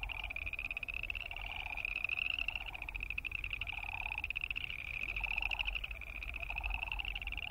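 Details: Boreal chorus frogs in full chorus: unbroken high, ratcheting pulsed calls, with short lower buzzy bursts recurring about once a second and a low background rumble.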